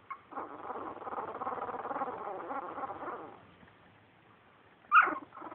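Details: Two-week-old puppies making a rough, wavering grumble for about three seconds, then a quiet gap and a single sharp high squeak.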